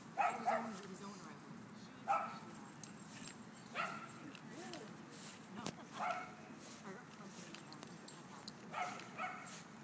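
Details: At a dog park, playing dogs let out short barks roughly every two seconds, each a brief single or double yap, mixed with human talk and outdoor background noise.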